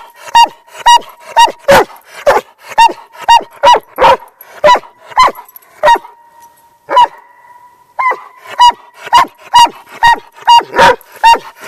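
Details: A hundred-pound Doberman named Rambo barks loudly right beside other dogs, which ignore him; sharp, clipped barks repeat about twice a second in a steady run, with a brief pause near the middle and a faint steady tone beneath.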